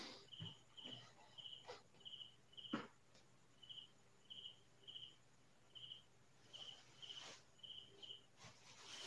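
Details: Crickets chirping at night in farm fields in the Philippines: regular high chirps about two per second, broken by several sharp crackles and handling knocks.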